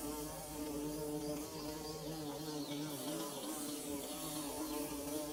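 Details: Bees at work building their nest, giving a dense, continuous buzzing drone with many stacked overtones, loud and even throughout with no pauses.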